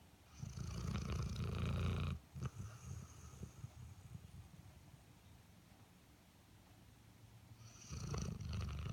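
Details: Sleeping Airedale Terrier snoring: two loud, rough, low rumbling breaths, one at the start lasting about two seconds and another near the end, with quieter breathing between.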